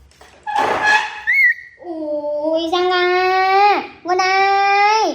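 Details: Baby monkey crying indoors: after a short burst of noisy vocalizing, long, steady, high-pitched wails, each lasting about a second or more and ending in a downward slide, with a short gap between them.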